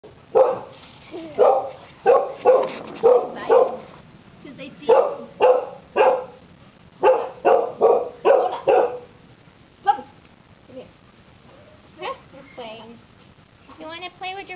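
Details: Chow Chow puppy named Bear playing with his brothers: bursts of short, mid-pitched barks in quick runs for about nine seconds, then scattered softer yips and whines, with a person talking to the puppy.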